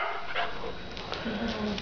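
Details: Female Akita puppy, three and a half months old, being vocal with short, rough barks while a person speaks nearby.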